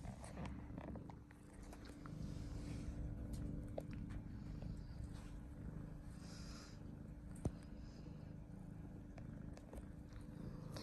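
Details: British Longhair colorpoint cat, nine months old, indoors and fond of boxes, purring: a low, steady, continuous rumble that lasts throughout, with faint household noises and a brief click near the middle.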